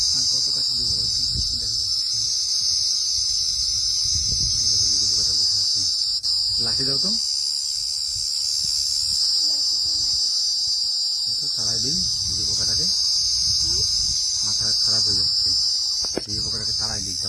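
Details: A cricket perched on a palm frond gives a loud, shrill, unbroken high-pitched trill while people talk nearby.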